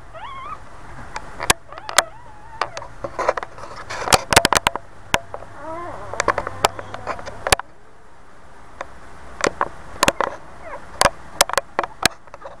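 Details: Boxer mother with her new puppies indoors; thin high squeaky whines rise and bend in short bursts near the start and middle, among frequent sharp clicks and rustling, with quiet spoken words.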